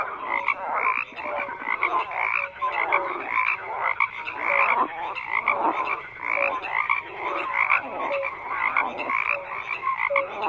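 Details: Many frogs croaking together in a dense chorus, overlapping rough pulsed calls with short tonal notes, the din rising and falling every second or so without pause.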